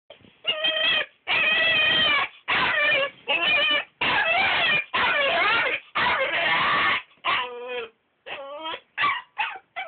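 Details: Belgian Malinois puppy protesting at having to sleep in his crate: loud, high whining yelps and drawn-out howling cries in long bursts, with pitch wavering and sliding, then shorter falling whimpers toward the end.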